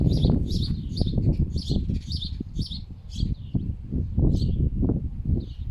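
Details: Two foxes rescued from a fur farm and kept as pets fuss over a dead bird on a very windy day. Rapid, low, pig-like grunting pulses come about three times a second, with faint high squeaks and chirps above.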